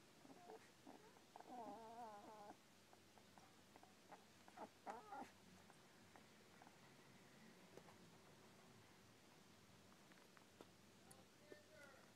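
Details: Smooth Collie puppies, eleven days old, lying together in a pile; soft wavering squeals with quivering tones cluster around the second and fifth seconds, then the pile settles into faint shuffling with occasional small squeaks.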